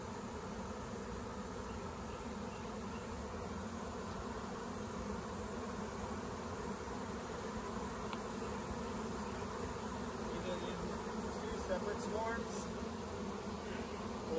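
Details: A massive swarm of Western honey bees makes a dense, steady, low buzzing hum that barely changes.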